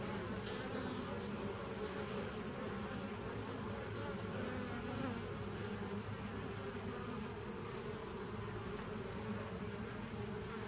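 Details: Continuous droning of bees, 27 September 2018: a thick, low, humming buzz with several stacked tones that holds steady without pauses, a soft hiss above it and no other animals or voices.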